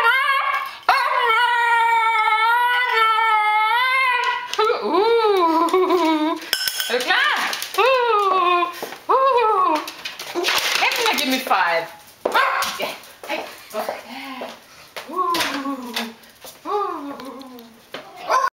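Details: Female Tibetan Terrier asking for food indoors: a series of arched, sliding whines and yelps, about seventy a minute, fading into shorter broken cries, with a woman's speech in between.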